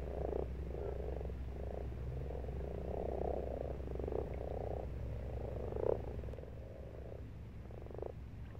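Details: Frogs croaking in a pond in March: dense, overlapping short low croaks, some in quick rattling bursts, from several animals at once, over a steady low hum.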